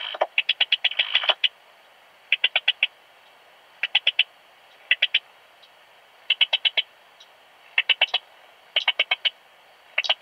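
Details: Eastern Stripe-headed Cricket chirping in Puntigam, Austria, on 10 June 2022; bouts of three to six fast, bright pulses recur every second or so, with a louder scratchy rustle at the start.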